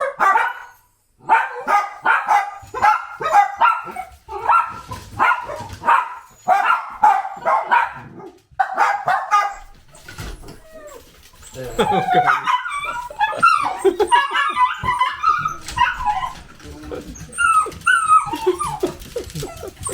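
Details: Pet miniature dachshunds from a family of several dogs at home: a rapid series of sharp barks repeated about twice a second for nine seconds, followed by higher, wavering whines and yips.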